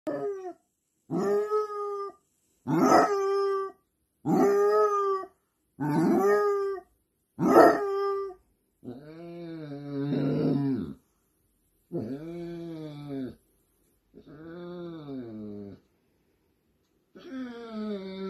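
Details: A Basset Hound howls while his companion dog is away at the vet, in a rich, harmonic voice: short, evenly spaced bays giving way to longer, lower, quavering howls that rise and fall before trailing off.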